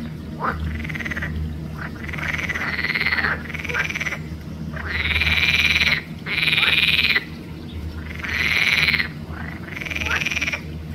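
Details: Pelophylax green frog chorus recorded 5 June 2024 at Arboretum Volčji Potok, with harsh buzzy croaks about a second long coming in quick succession, some shorter clicking notes between them, and a low background rumble.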